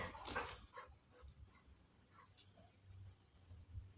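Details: A female Golden Retriever, called repeatedly while right next to her owner, gives a short, gruff, bark-like outburst, then quieter grumbling, as if scolding.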